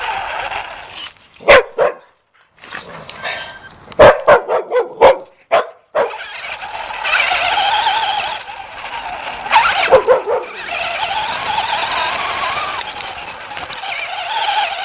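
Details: Puppy chasing a remote-control car, giving sharp barks and yips in bursts with short silences between, over a steady whining toy motor that rises and falls.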